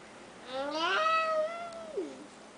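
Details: Four-year-old pet cat indoors while playing with a one-year-old child; one long drawn-out meow that rises, holds steady, then slides down at the end, clear and tonal with a rich harmonic tone, no other sounds.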